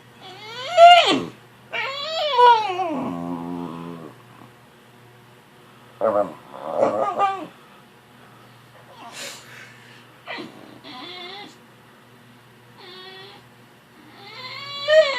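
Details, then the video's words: Puppy woken too early from a nap fussing with several whining, yelping cries early on, then quieter scattered whimpers and pauses in a small indoor room. "Fussy puppy gets woke up"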